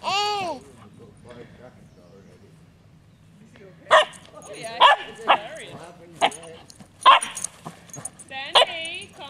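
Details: A Cavachon puppy, a Cavalier King Charles Spaniel and Bichon Frise cross, yipping while trying to get a child to play and chase her: sharp, short yelps in an irregular run, with whiny rising and falling squeals mixed in and people's voices nearby.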